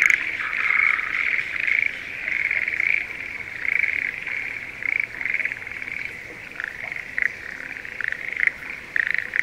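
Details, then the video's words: Schlegel's green tree frogs calling in breeding season from spring paddies near Sendai, Japan. A softer, more distant chorus of high rippling croaks, bursts rising and fading in waves. "シュレーゲルアオガエルの鳴き声Voice of schlegel's green tree frog"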